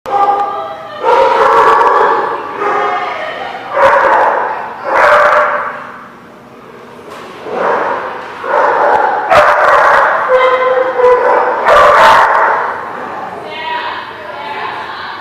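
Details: Dogs recorded on 11/10/17 at The Barking Lot give loud, harmonic barks and yips in bursts about a second apart. Brief lulls separate the bursts, and a drawn-out, tonal whine closes the sequence.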